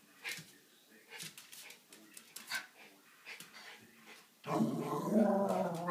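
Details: Schipperkes Snowflake and Skipper at morning playtime at 4 am: soft scuffling grumbles and yips, then a sudden loud, sustained rough growl breaking out in the final seconds.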